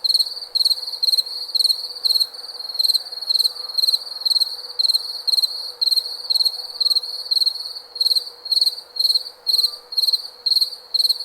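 A cricket chirps in clipped, high-pitched bursts of rapid pulses, repeating roughly twice a second. The ringing trills keep an even rhythm throughout, over a faint, low background hum.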